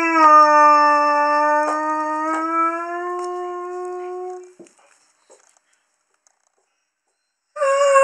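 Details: Haru, a young Curly-coated Retriever male, gives a long, steady, slightly rising howl lasting about four seconds, linked to females being in season; a few faint clicks, then silence before a fresh howl begins.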